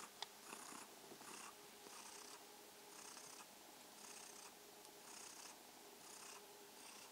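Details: Mausi, a purring kitten, giving an evening greeting: soft breathy purr swelling in regular pulses about every 0.7 seconds, with a faint steady hum underneath.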